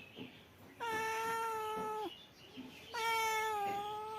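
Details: A male cat gives two sustained, level meows of nearly a second and a half each, rich in overtones and separated by a short pause. Faint soft thumps sound between them.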